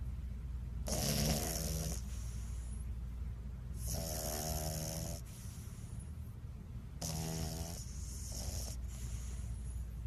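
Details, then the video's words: A sleeping bulldog snores like a human: three long, rasping snores with harsh breathy noise, each about a second long and spaced roughly three seconds apart, over a steady low hum. "CUTE SNORING BULLDOG !!"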